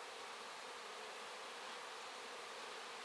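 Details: Crowd of honey bees, seemingly a whole hive, working over poured-out wax; an even, unbroken broadband drone of many wings with no other sounds.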